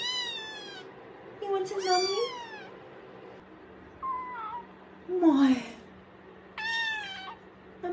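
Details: Pet cat indoors giving a run of meows: a long clear meow, a rising-then-falling two-part cry, softer chirping calls and a final bright meow, while a person speaks to it in the background.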